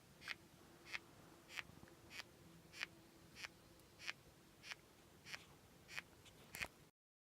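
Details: A bark beetle gnaws on a log at a homestead, making sharp dry ticks repeated about every two-thirds of a second.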